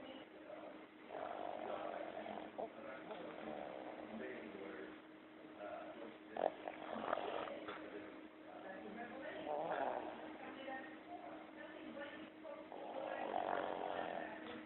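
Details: A Boston Terrier snores during REM sleep in rough, rasping bursts that swell and fade with each slow breath.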